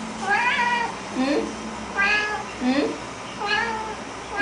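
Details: House cat excited over a Chinese New Year treat of bak kwa, meowing insistently: four rising-falling meows about one second apart, each starting with a short lower chirp, over a steady indoor hum.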